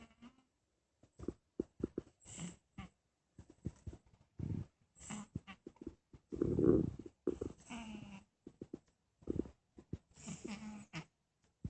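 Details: Strange snoring from a sleeping cat, heard as short scattered nasal snuffles and rasps, then a longer rumbling, throaty breath near the middle followed by a thin, wavering whistle and more broken snorts.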